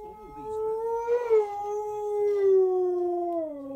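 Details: Key, a pet Husky/Malamute, howls along to an Oral-B toothpaste advert while lying down; one long, smooth, tonal howl that rises slightly, then slowly falls and drops in pitch at the end, with rich harmonics.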